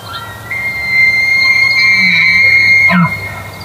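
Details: Trophy bull elk (Cervus canadensis) bugles: a long, high, pure whistle that breaks off into a low grunt.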